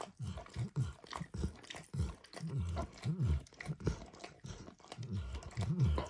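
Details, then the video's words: Max, a pet dog, licks a bumpy orange mat smeared with food: soft, wet, low smacking laps in uneven bursts, with short pauses between runs, in a quiet indoor room with no talking. "ASMR Dog Licking"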